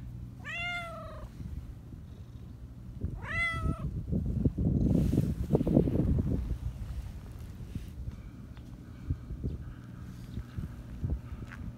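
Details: High-pitched black Persian cat that often meows and talks gives two drawn-out, slightly falling meows about two and a half seconds apart, followed by loud rustling and scuffling over a low background hum.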